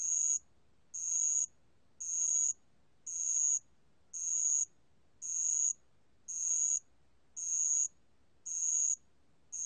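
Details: Band-legged ground cricket song recorded in Korea in 2020: a pure, high, ringing trill in half-second bursts repeated steadily about once per second, with clean silence between bursts.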